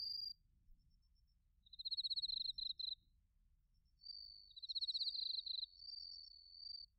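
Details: Crickets, including bell crickets, calling in autumn, Narita, Chiba, Japan, recorded on a TASCAM Portacapture X8; two bright, sharply pulsed trills of about a second each, joined by a fainter, slightly higher sustained trill in a quiet night setting.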